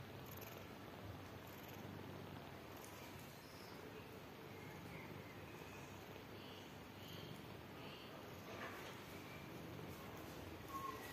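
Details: Tired mother cat with newborn kittens that want to drink milk while she wants to eat and sleep; a steady, low, rumbling purr runs throughout, with faint, brief high squeaks from the kittens above it.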